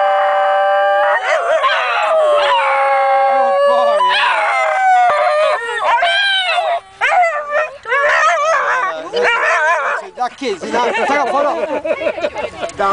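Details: Two basenjis at a picnic in Perth, Australia, yodelling along to a Mr Whippy ice cream van tune; wavering, sliding howls with rich overtones rise and fall continuously, a person briefly speaking nearby.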